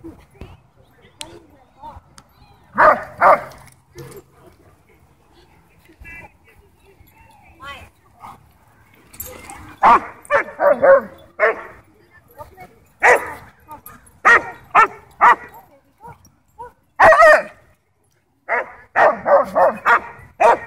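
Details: At a dog park, a German Shepherd guards its toys and barks to demand the ball while Bodhi joins in playfully; isolated barks early, then repeated bursts of sharp barking, with speech in between.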